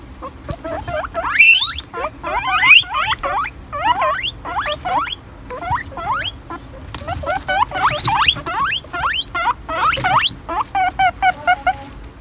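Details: Several guinea pigs squeaking very loudly: dense runs of sharp rising squeaks, each sweeping upward, tumbling over one another for about twelve seconds, ending in a quick series of short even chirps.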